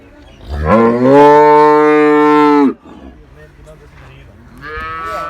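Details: Moo from a cow at a Pakistani cattle farm selling Girlendo and Jersey cows: a loud, sustained, rich harmonic bellow rising quickly and held for nearly two seconds, then a quieter second moo starting near the end.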